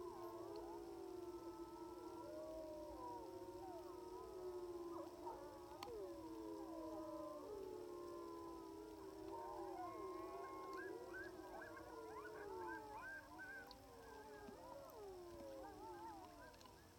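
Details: Group chorus of sixteen wild timber wolves on a hill in Wrangell-St Elias National Park, Alaska, September 2018, heard from about 700 yards through a phone on a spotting scope: loud, rich overlapping howls, rising and falling, with higher yipping wavers joining midway.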